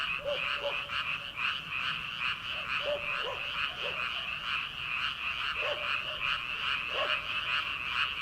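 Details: Early-summer frog chorus from rice paddies, late at night before rice planting: loud, continuous pulsing trill of many frogs, with clipped lower croaks, single and doubled, scattered through.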